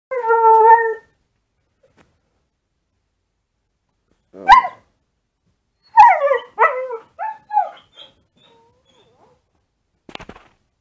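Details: Husky-mix puppy indoors in a dark room, howling in reply to wolf sounds played online, filmed on a smartphone: one short steady harmonic howl, then a pause and a burst of quick rising yips and whimpers.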